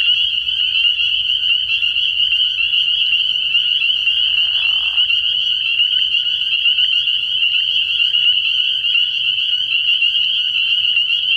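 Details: Many spring peepers in full chorus at a frogpond on an early spring night, a steady high-pitched din of overlapping peeps, with a brief softer lower rasp midway through.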